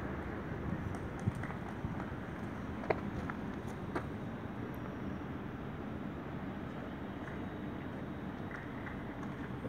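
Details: Steady outdoor rumble of wind and distant traffic with a few faint clicks and knocks; no animal voice.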